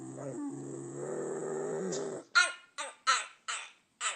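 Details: A dog making one of its weird sounds: a low, rumbling growl for about two seconds, then five short, sharp barks spaced roughly half a second apart.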